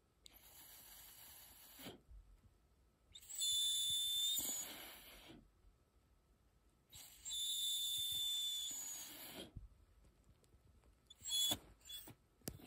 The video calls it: 비글 고주파 밥주세요 *이어폰 조심